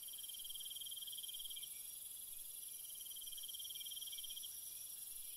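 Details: Nighttime crickets trilling in quick, even pulses that swell and fade every couple of seconds, beneath a continuous thin, very high shimmer from more distant insects.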